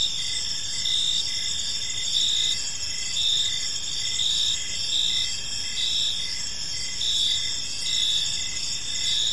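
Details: A peaceful evening park filled with cricket chirping: high, sustained shimmering trills from several insects, pulsing roughly once a second in gentle waves of loudness, over faint low environmental noise.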